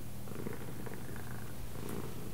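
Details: Cat that reportedly knows left from right, purring between spoken commands; a low, steady droning purr continues throughout, with some faint mid-range murmur over it.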